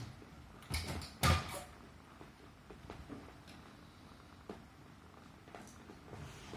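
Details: Indoor Himalayan Persian cat, purring while being petted on its neck and feeling secure; a quiet low rumble runs throughout, broken early by two loud thuds and a few later taps.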